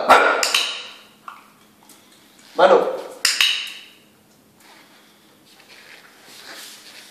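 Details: Six-month-old Jack Russell Terrier during trick training at home, giving a few sharp barks on command between stretches of a person speaking Spanish.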